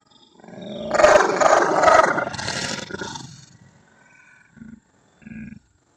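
A Belgian Malinois lets out a drawn-out, rough, throaty bark lasting a couple of seconds. Two brief, deep woofs follow after a short pause.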